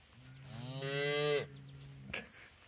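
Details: Young bull calf on a farm under a white oak tree, with its mother nearby, gives one drawn-out moo lasting about a second, harmonic and slightly rising then cut off, followed by a brief thump; a man talks softly around it.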